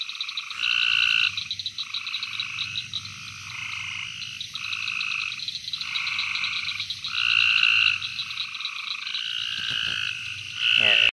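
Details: Gulf Coast toad at Fort Polk, Louisiana, on 24 June 2020, found while searching for frogs at night. Short buzzy trills, each about a second long, follow one another almost without pause. They overlap as if from several callers, over a faint low rumble.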